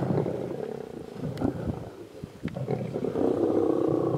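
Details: Mega pride of lions feeding on a buffalo on a road near Satara rest camp in Kruger National Park, South Africa; rasping, throaty growling continues throughout, dipping briefly midway, broken by a few sharp snapping clicks.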